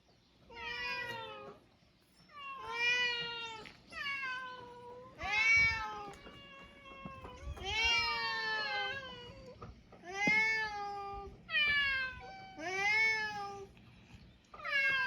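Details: Several loud meows from mixed-breed island cats, drawn-out and arching, some rising then falling in pitch, coming almost back to back across the stretch with brief pauses and faint low background noise.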